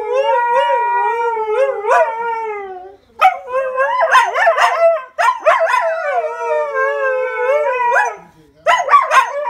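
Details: Siberian Huskies, household dogs, holding their daily conversation: long smooth howled tones alternate with rapid chattering, yodel-like bursts, separated by brief silences near three and eight seconds.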